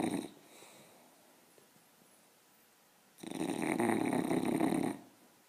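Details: A sleeping English bulldog pup snores with a harsh, rattling rasp drawn out over nearly two seconds; it snores very loudly like this every time it sleeps.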